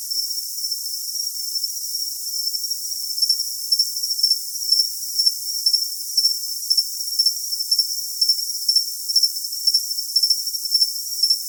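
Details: High cricket chirping used as a tinnitus-masking sound. A steady piercing ring gains regular pulsed chirps after about three seconds, roughly two per second, with a faint higher echo of each pulse.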